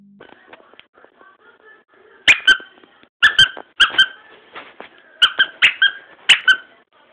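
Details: Boston's first barks: small high-pitched yips and squeaky barks in quick pairs and clusters, with faint soft whines between bursts, indoors.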